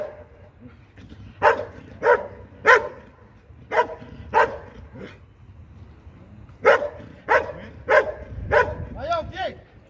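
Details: Belgian Malinois competing in IPG 2 at a 2023 regional event in Sin-le-Noble, France: two bursts of rapid, strong barks separated by a brief pause, closing with higher, wavering yelps.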